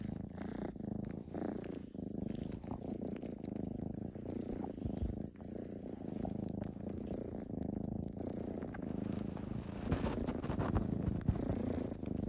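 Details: Pet cat giving a loud, genuine rumbling purr while suckling, a steady low throbbing drone with fast regular pulses and faint rustling, recorded up close indoors.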